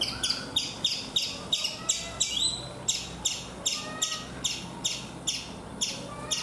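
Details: High, piercing chirps from a chipmunk on a coconut tree in India come quickly at first and then settle to a regular pace of about two and a half per second, with faint background noise.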